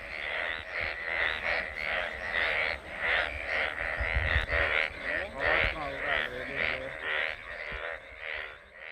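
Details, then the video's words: Rainy-season frogs calling in a steady train of buzzy croaks, about two each second, with a man's voice speaking Hindi over the chorus. "बरसाती मेंढक की आवाज़"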